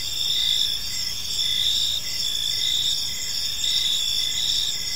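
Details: Crickets chirping on an evening in a peaceful park: a steady high, shimmering trill with overlapping bands of pulsed chirps, some lower notes repeating in short beats under a faint background hiss.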